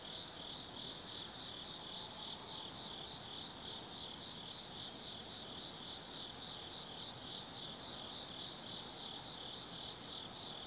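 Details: Forest insects of autumn at night, Tsukimi no Mori lookout over the Nobi Plain, Gifu, Japan: a constant high-pitched chirring wall of sound, steady and slightly wavering, topped by intermittent thin trills.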